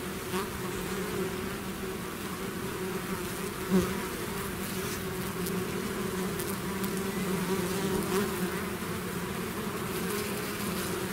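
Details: Swarm of bees out of the hive producing constant layered buzzing, a single bee zipping close just before four seconds, otherwise an unchanging hum.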